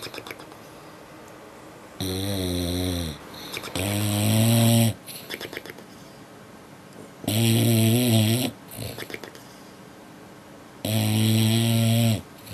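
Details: A sleepy dog snoring while asleep, four heavy, rough, low-pitched rattling snores, each lasting about a second and coming every three seconds or so, separated by quieter breathy wheezes.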